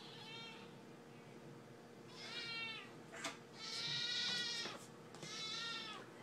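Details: Siamese kitten Brie meowing for dinner while it is being prepared: three drawn-out, loud harmonic meows, the middle one broad and raspy, with a brief clatter of kitchenware between them.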